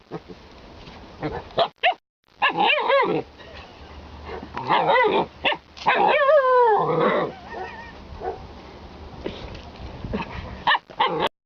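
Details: Alaskan Malamute giving a run of loud, throaty, bark-like yips, then a long wavering harmonic howl that slides downward in pitch, followed by more short vocal bursts and brief pauses.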